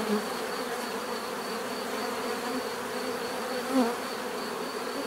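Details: Short stretch of bee buzzing, a steady layered hum with two nearby bees flaring louder, one at the start and one near the end.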